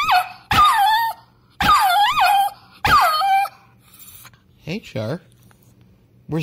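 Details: Three short wavering dog howls, each about a second long with rising and falling pitch, followed by quieter brief whimper-like sounds and a faint voice in a small room.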